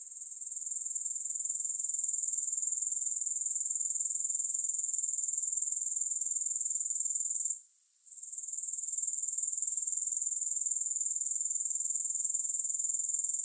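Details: Shrill, continuous grasshopper chirring, pulsing rapidly at around four beats per second. It swells in at the start and drops out briefly near eight seconds before returning. No music.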